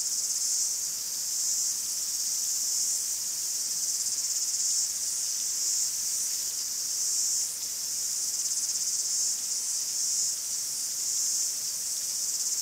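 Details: Greek forest cicadas give a steady, piercing high-pitched buzz, a seamless wall of sound with slight rises and falls in strength over time and no competing sounds.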